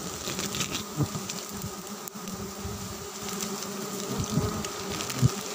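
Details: Dry-season honey harvest from giant honey bees (Apis dorsata): a constant low buzzing drone runs throughout, broken by scattered clicks, taps and handling knocks, one sharp crack near the end.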